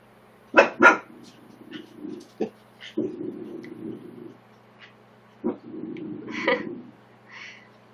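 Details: Corgi kept from its litter barks at a tortoise inside a home; two quick sharp barks open, followed by scattered softer yips and low grumbling growls, with a woman talking quietly in the background.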